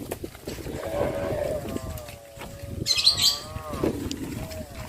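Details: Cattle in the countryside, released in the morning to graze, calling to their companions on the road to green pastures; a long, wavering, harmonic moo lasting about three seconds, with brief bird chirps over it.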